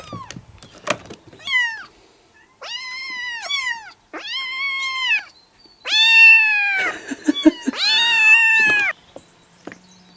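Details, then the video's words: Baby kittens calling with drawn-out meows, the later ones long, loud and wavering, several overlapping near the end, with brief thumping noises in between. "Cute Kittens Meowing"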